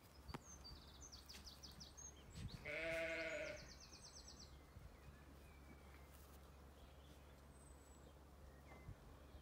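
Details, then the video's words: One short quavering bleat from the ewes and lambs kept in an orchard on a regenerative farm in County Kilkenny, Ireland, on a sunny day, amid chirping birds and a low constant hum. "Watching ewes and lambs in the orchard on a sunny day"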